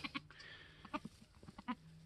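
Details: Homestead-born Mini Alpine goat kid, a newborn F4 buckling dated March 13, 2021: scattered brief, buzzy bleat pulses with strong harmonics, spaced irregularly over two seconds, and a low steady hum beneath.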